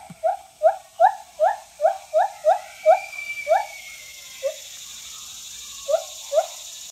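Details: A friendly white-handed gibbon at a zoo in Jackson, Mississippi gives a fast series of rising, hooting whoops, then a few spaced single notes.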